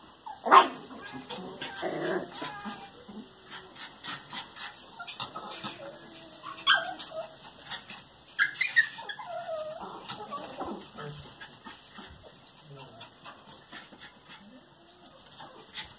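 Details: Two-month-old Norfolk Terrier puppy whimpering and yelping in scattered short cries, a sharp yelp early, then thin whines and soft rustling that fade toward the end, over a steady high-pitched background whine.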